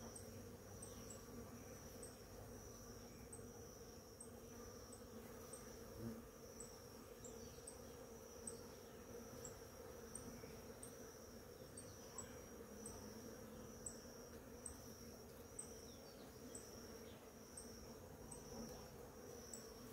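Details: A low, continuous hum from many bees working the blossoms of a flowering ora-pro-nobis in the morning. A steady shrill insect tone and regular faint high chirps sound throughout.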